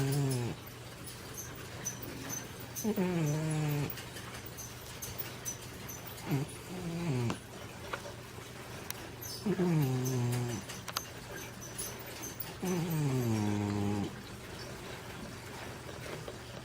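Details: Big female Manx cat weighing over 20 pounds, sleeping and snoring heavily; five long, rasping snores that fall in pitch, arriving about every three seconds over a steady low hum and soft room noise.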